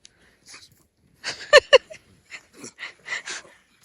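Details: Kokos, a pet pug, gives two sharp, snorting yips in quick succession, framed by softer wheezy, breathy snuffles before and after.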